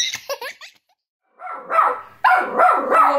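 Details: Bichon Frise barking at its own reflection in a mirror, taking it for a threat and acting as an angry guard dog: sharp, high yapping barks in quick bursts after a brief child's laugh and a pause.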